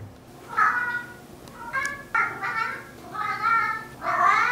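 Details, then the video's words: Narr, a chatty four-year-old male mixed-breed house cat, talks back to his owner indoors with a run of drawn-out, wavering meows, five or so calls that rise and bend in pitch, some ending in a rough growly edge. "집사와 대화하는 수다쟁이 고양이, 울음소리 모음"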